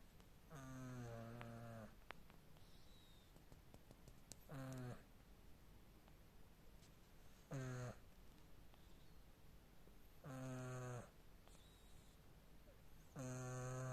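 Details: Tina, a domestic cat, asleep and snoring like a man: five throaty, harmonic-rich snores, each about a second long, recurring roughly every three seconds over a quiet indoor background.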